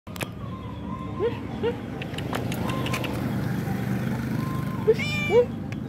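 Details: Male stray cat living on the road, weak and hungry after three days without eating, gives about four short, soft, bending meows spaced unevenly over a steady traffic hum, with a few clicks and knocks nearby.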